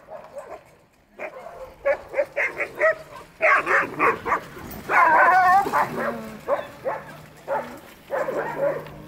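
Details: Sled dogs at an Alaskan dog sled demonstration, excited yips and barks in quick bursts, several overlapping voices, with a wavering whine-howl rising and falling midway, then more irregular yelps.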